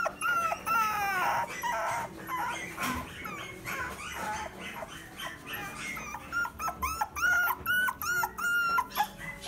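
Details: Mixed-breed dog at a pet shop in Omihachiman, Japan, giving high, whistled whimpers that start in quick runs, fade into a noisier middle stretch, then return as choppy rising-falling whines.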